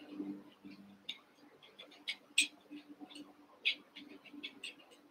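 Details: High, thin squeaks from Cavalier King Charles Spaniel puppies, eight pups from Daisy's and Robin's litters merged to play; brief chirpy cries sound irregularly, roughly one a second, with a faint low hum beneath.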